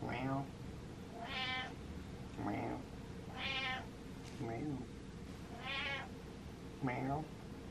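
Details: Attention-demanding cat giving about six loud, insistent meows in under eight seconds, each a bright harmonic wail, alternating longer and shorter calls over a steady low background hum.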